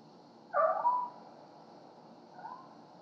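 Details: Cleo and Annie, pet cats bringing gifts at night on their nightly ritual, caught on a home security camera: one loud wavering meow-like cry rising and falling, then a fainter short call two seconds later, over steady hum.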